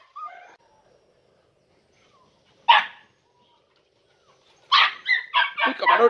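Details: Andalusian Podenco puppies, three and a half months old, on their first time in a training ring. A short human voice comes first, then a pause, then a quick burst of several high, strained barks and yelps.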